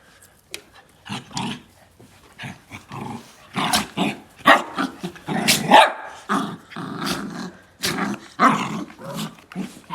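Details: Dog growling in a monster-like way rather than a normal dog voice. Harsh, raspy growls and grunts run almost continuously, swelling louder in the middle of the clip.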